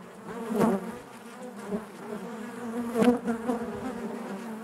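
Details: Honey bees buzzing inside their hive, a steady low drone with harmonic bands and louder swells as individual bees pass close, near 0.6 and 3 seconds.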